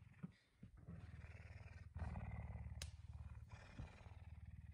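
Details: Pet puma at home in the early morning, waking its owner around 5 a.m.; a steady, deep, rapid pulsing purr, about four throbs a second, with brief rustles and a sharp click midway.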